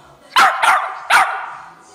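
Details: Young female West Highland White Terrier sneezing and vocalising, excited about going for a walk; three abrupt, noisy bursts within two seconds, each trailing off, right after someone says "walk".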